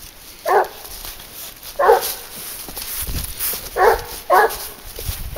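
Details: Leashed boar-hunting dog Garuo, 22 months old, on the trail of wild boar, gives four clear, separate barks at uneven intervals, with rustling and handling noise in between.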